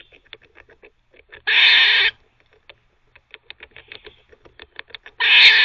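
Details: Pet squirrel barking while teething: two harsh, noisy, half-second bark bursts, the second near the end, separated by rapid dry clicking and ticking.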